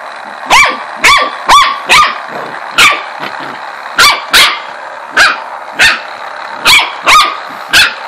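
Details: Pet corgi reacting to a ladybug massager, apparently unhappy with it, gives a rapid string of loud, ringing barks, roughly thirteen in eight seconds, some doubled close together, with no other sounds.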